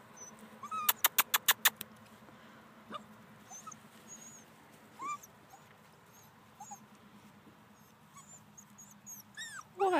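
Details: Giant Schnoodle puppies from one of two litters give short, high, squeaky whimpers that rise and fall, scattered across the recording. Early on comes a quick burst of sharp clicks, with a steady low hum underneath and a louder squeal at the end.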